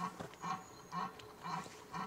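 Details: A red deer stag in rut during autumn, in the mid-September to mid-October belling season, gives short, deep, grunting roars repeated about every half second, at Domaine de Han-sur-Lesse, Belgium, in 2025.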